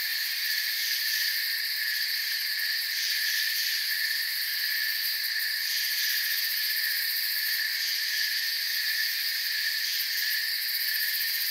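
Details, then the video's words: Forest crickets keep up a steady, thick high trill, several pitch layers buzzing together without pause, faint pulsing visible in the upper band. "Forest Sounds and Crickets"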